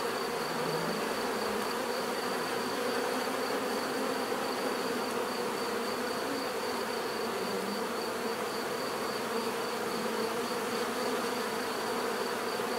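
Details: A thick, uniform drone of numerous bees, with a low buzz briefly swelling in the first seconds and a steady faint high whine running underneath, with no other clear sounds.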